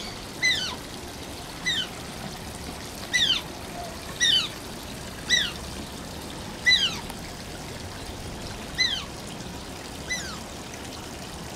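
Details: Asian small-clawed otter at Oji Zoo, Japan, whining: short, high, squeaky whines that slide downward, rich in overtones, about eight calls spaced one to two seconds apart over steady trickling water noise.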